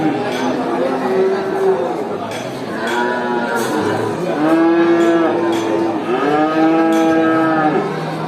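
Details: Cattle at a traditional animal market moo repeatedly, several strong rising-then-falling harmonic calls about a second long overlapping other lowing, amid steady crowd noise and occasional knocks.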